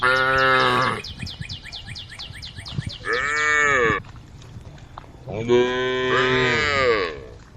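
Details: Tame female cows gathered on a road, calling their herd: three drawn-out moos spaced a few seconds apart, the last the fullest, over a steady stream of quick high chirps.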